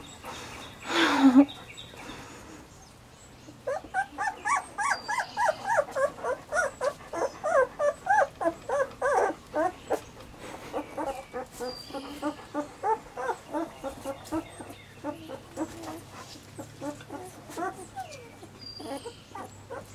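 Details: Three Weimaraner puppies in summer: after a loud burst near the start, a steady run of short, high, whining yelps repeats about three times a second, then falls into softer, uneven whimpers.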